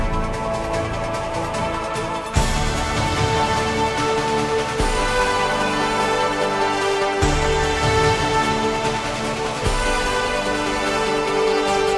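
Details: Only music is heard, a steady theme with sustained tones and strong beats about every two and a half seconds. No animal voices can be picked out.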